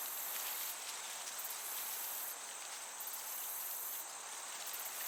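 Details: Crickets chirping in a summer meadow with a gentle breeze: a dense, steady, high-pitched shimmering trill with faint pulsing, heard over soft, constant background hiss.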